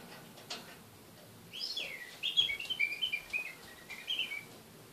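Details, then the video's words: Pet kakariki, a male, in a cage, talking; a run of high squeaky chirps and warbled notes with clicks and small knocks. "Kakariki talking"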